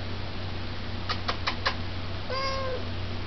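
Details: Pet cat meowing while 'talking' to its owner indoors: a few soft clicks, then one clear, steady, mid-pitched meow lasting about half a second, over a constant low hum.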